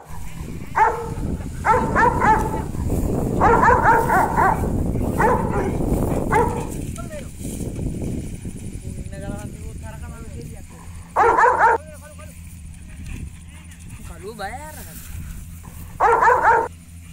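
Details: Rottweiler dog playing with a Sri Lankan buffalo outdoors: a run of deep, harmonic barks about once a second over rumbling noise during the first seven seconds, then two lone barks later, with people talking and laughing between.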